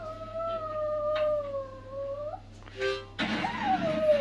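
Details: Tired pet Chihuahua howling: a long, steady, slightly wavering tone that sags and then lifts at its end, a short break, then a brighter howl that slides downward over a rougher, noisier background.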